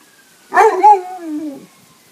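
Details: Leonberger on a swimming outing gives a single drawn-out, yowling bark that starts sharp and slides down in pitch over about a second, with faint background hum.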